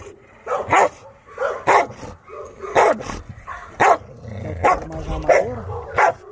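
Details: Maike, a Chow Chow, barks on arriving for dog training: sharp, loud single barks about once a second, seven in a row, over low background noise.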